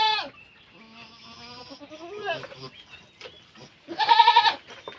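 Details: Goat during birth on a farm: harmonic bleats, one opening the recording, a wavering drawn-out call in the middle, then a loud quavering bleat near the end, with voices and faint clucking nearby.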